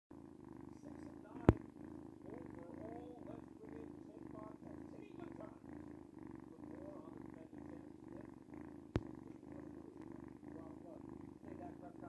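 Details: A noisy cat purring steadily and softly, a low rumbling drone that swells and fades with each breath about every half second, with two sharp clicks partway through.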